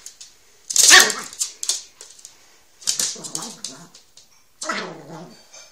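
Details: Male Chihuahua Laric indoors while humping his doll, giving short harmonic whimpering growls in three bursts, the first loudest, between snuffling breaths in a small room.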